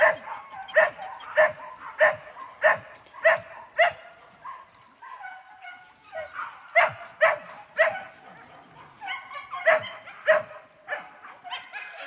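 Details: Hunting dog in its first training session at a PORBI hunting arena on the Sungai Pingai, barking in a steady series of sharp, repeated barks, roughly one or two per second with brief pauses.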